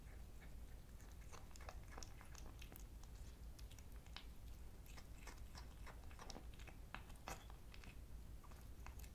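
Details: A kitten eats salt-free chicken breast, chewing and crunching in steady, rapid wet clicks and smacks, several per second, over a low indoor hum.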